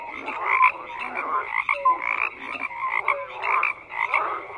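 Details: A chorus of frogs croaking, with rough, buzzy croaks crowding one another and a few clear, sliding peeps. Volume rises and falls in uneven pulses throughout.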